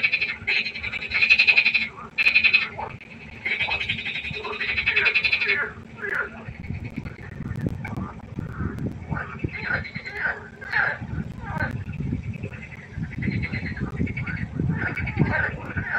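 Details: Pond frogs at night: loud, high, rattling trills open the sequence, then give way to many quicker, rough croaks tumbling over one another amid a low background rumble.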